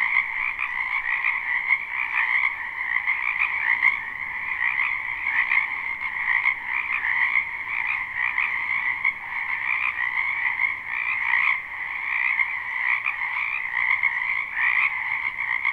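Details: Live, unlooped spring wetland recording of numerous frogs: continuous layered trilling croaks blend into a uniform shimmering chorus, occasionally punctuated by sharper nearby calls, with no other clear sounds.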